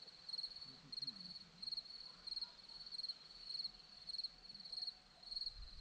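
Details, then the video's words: Crickets on a hillside at Zorlesti, Romania, chirping in short pulsed bursts about every half second, a steady high ringing chorus with faint low rumble beneath. "Crickets sound"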